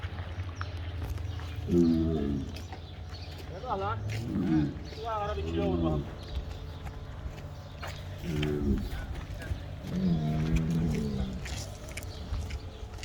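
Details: Simmental fattening cattle being loaded in batches for slaughter, giving several deep harmonic moos, some rising and wavering, spaced a few seconds apart, over steady low rumble and people talking nearby.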